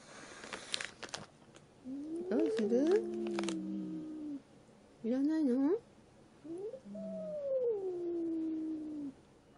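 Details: Indoor domestic cat, once a wary stray, now a sweet, attention-seeking house cat; several wavering, arched meows of varying length with pauses between, some sharp rustling and clicking before the first call.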